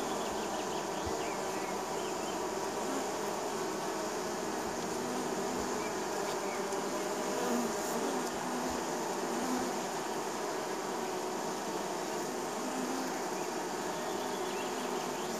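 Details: Spring honey bees arriving at a neighbor's hive, producing an unbroken, mid-pitched buzzing chorus of many wings, steady in loudness from start to finish.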